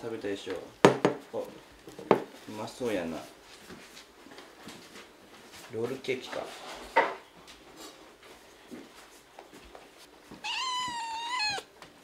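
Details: Kitten indoors, having tasted a roll cake it mistook for a snack: mostly clinking dish and cutlery clatter and rustling, then near the end one clear, high, wavering meow lasting about a second and a half.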